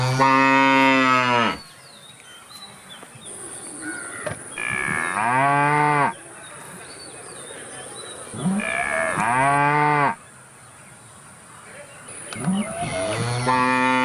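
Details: Cow. Cattle moo in long, loud, harmonic calls, each one swelling, then dropping in pitch over a second or two. A steady high insect-like hum runs faintly underneath between the calls.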